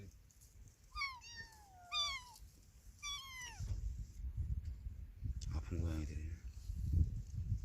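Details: Motherless kitten crying out in three thin, high meows a second apart, each falling in pitch, followed by low rumbling and a human voice.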